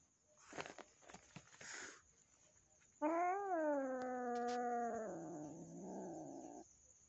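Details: Frightened newly adopted kitten meeting the household cat indoors: a few soft clicks and rustles, then a loud drawn-out yowl that arches up and slides down, easing into a rougher low growl.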